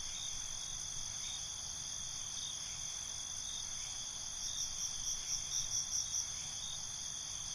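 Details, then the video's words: Crickets chirping at night in a natural outdoor ambience: steady high trilling bands with faint pulses about twice a second, then a brighter pulsed trill swelling between four and six seconds. "Night ambience, Cricket Conversations"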